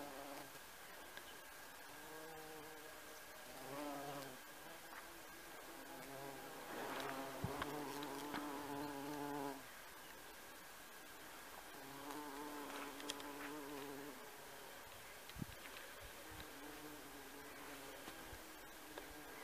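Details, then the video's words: Bumblebee working honeysuckle in a garden, droning with a deep, even buzz in long bouts that swell and fade, with a few faint background clicks between passes. "Шмель на жимолости в саду"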